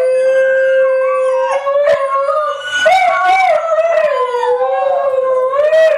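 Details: Group howling from three white huskies singing along together: a steady drawn-out howl held throughout, with a second voice wavering above it and short yips around the middle.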